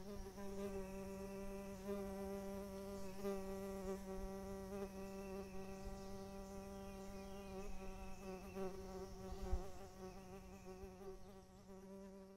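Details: A Music Bee by a creek at morning gives a continuous low, even hum with rich overtones, faint high insect trills joining at times over a quiet outdoor background.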